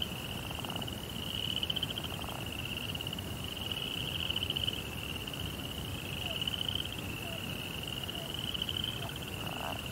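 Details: Crickets chirping at night in a Japanese Zen rock garden beside a koi pond: a steady, high, pulsed trill in long unbroken runs that swell and fade every couple of seconds, over a low rumbling background and a few faint low knocks.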